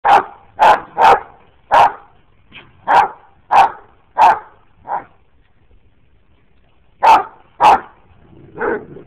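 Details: Dogs wrestling in play, an Anatolian Shepherd, a Great Dane and a Boxer, one of them named Daisy: loud sharp barks come in two bursts, seven quick barks, a short pause, then three more, with quiet gaps between.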